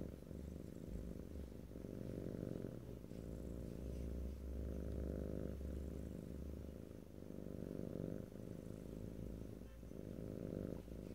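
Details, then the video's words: Domestic cat purring close up in stereo, a steady low rumble with rhythmic pulses rising and falling with each breath, no talking. "ASMR Cat: Purring"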